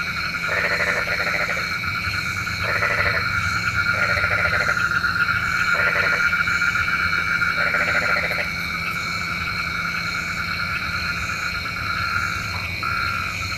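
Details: Nighttime frogs, believed to call the rain, give short rattling pulsed croaks roughly every second or two, fading out toward the end while a steady shrill insect chorus continues.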